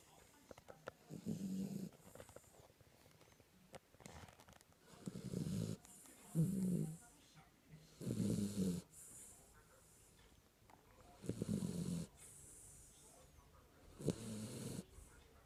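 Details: Kinako, a sleeping Jack Russell Terrier, snoring: low, rumbling snore bursts come at uneven intervals of about one to two seconds, with airy hissing breaths between them, about eight snores in all.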